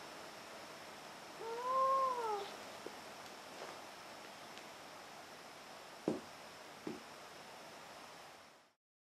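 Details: Domestic cat giving one short arched meow early on, followed by quiet room tone with a few soft knocks and clicks.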